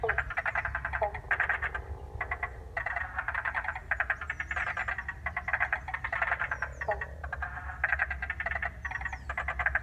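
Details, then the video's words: A South Australian wetland at Paringa Paddock National Park, refilled with released water, recorded by iPhone. Many frogs give rapid, pulsed, rattling croaks in bursts about every second, with occasional faint high chirps. "An iPhone recording of frogs in Paringa Paddock National Park South Australia."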